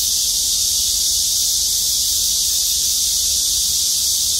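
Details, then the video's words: A chorus of cicadas in trees over a parking lot at Gwangmyeong City Hall, South Korea, makes a steady, shrill, high-pitched buzz that never lets up. "맴맴맴 매미소리. 매미들의 합창 💕구독♡좋아요. 꾹 눌러주세요^^"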